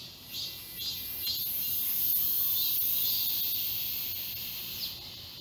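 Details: Cicadas singing as a forest chorus in summer at Galsan Park, Mokdong, Seoul; a dense, high, hissing drone with soft pulsing swells roughly twice a second and a brief louder surge near the middle.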